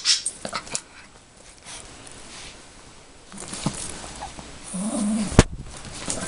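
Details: Yorkshire Terrier, a pet dog, playing indoors with a toy bunny; a short low whimpering growl toward the end, after scattered clicks, thumps and rustling from the play.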